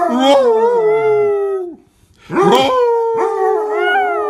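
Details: Chihuahua howling in two bouts: a long wavering tonal howl sliding down over about 1.7 seconds, a short pause, then a second drawn-out howl with a rough yippy onset and a wavering tail.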